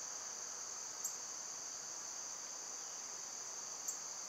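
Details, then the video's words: Summer cicadas give a steady, unbroken high-pitched drone with two close bands throughout, and a couple of brief faint ticks in the top range. "Birds & Squirrels w/ Cicada sounds"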